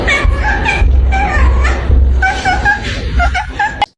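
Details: Upbeat music plays under chuckling laughter and bits of speech, with no animal voice heard.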